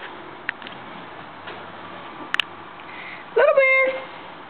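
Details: Pet cat Stinky, a female kept indoors, whose mood flips when she hears a disliked noise, gives one loud, steady, drawn-out meow after faint clicks and room noise.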